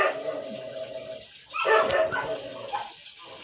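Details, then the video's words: Arguing Siberian Husky lets out a short, rising and falling, harmonic yowl in the middle, with a steady hiss and faint voice-like sounds around it. "HUSKY ARGUING"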